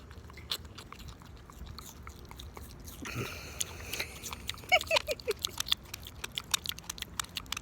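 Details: Apple being eaten by a pig in a small room: sharp crisp crunches come in quick bursts, growing louder and denser in the second half, with a brief rustle and a few soft squeaky sounds in the middle.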